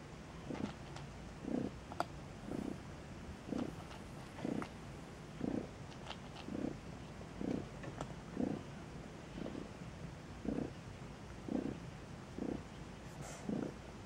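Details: Steady rhythm of soft, low pulses about once a second from newborn Maine Coon kittens in a cattery in Saint Petersburg, Russia; quiet room background with a few faint ticks.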